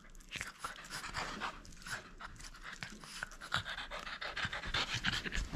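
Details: French Bulldog at play, refusing to give up a toy: rapid, ragged panting with sharp huffs and breathy snorts, rising in loudness toward the end, mixed with clicking and rustling.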